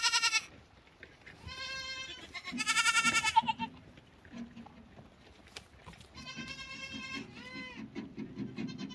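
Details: Several lambs call in turn with loud, trembling bleats, some high and strained, others lower. Low rumbling and shuffling sounds run underneath the later calls.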